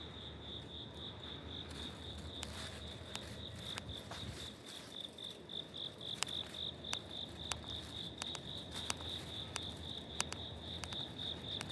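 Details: Autumn cricket in a residential apartment corridor, Suginami Ward, Tokyo, October 2025, giving rapid high pulsed chirps in a continuous run, with scattered sharp tapping clicks and a faint low rumble behind.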